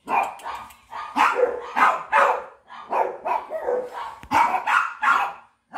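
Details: A Rottweiler puppy in Rampurhat, Birbhum, West Bengal gives a quick series of high, yelping barks, about two each second.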